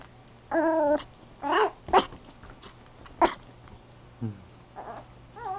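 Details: Fawn male Chihuahua-Poodle mix puppy born July 9, indoors, giving a string of thin, wavering whines, some drawn out and rising and falling, others short, with quiet pauses and a steady low hum behind.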